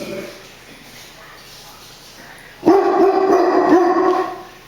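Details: Brownie the dog, who barks at everything, starts a loud run of barks after a near-silent stretch of more than two seconds.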